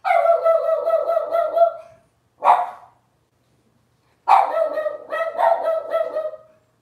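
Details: Robin's Cavalier King Charles Spaniel puppies cry on a home livestream with drawn-out, wavering whines rich in harmonics. A long cry, a brief yip, a pause, then another sustained wailing bout follow in a quiet room.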